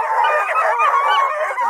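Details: Several coonhounds, Blueticks, Redbones and Black and tans, at a hound kennel near Kingston, Ontario, Canada, howl together in a dense chorus of overlapping, sustained wavering bays with no pauses.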